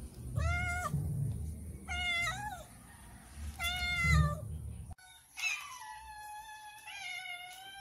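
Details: Hungry cats meowing for food during their morning routine; three clear arched meows spaced about two seconds apart with low rumbling noise, then a sudden cut to a long falling meow and higher overlapping cries.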